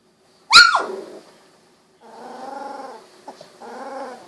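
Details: Sixteen-day-old Golden Retriever puppies, eyes just opened, moving about indoors; a single sharp yelp, a pause, then two longer nasal whining calls with a brief click between them.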